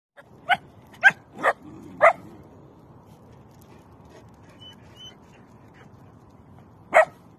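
A puppy gives a quick run of four high, sharp barks, then one more after a pause.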